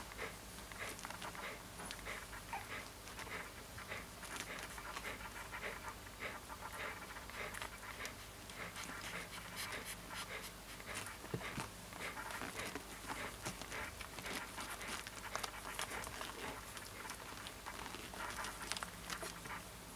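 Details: Siberian Husky puppy panting continuously for twenty seconds, short airy breaths tumbling one after another at an uneven pace, a low hum running throughout.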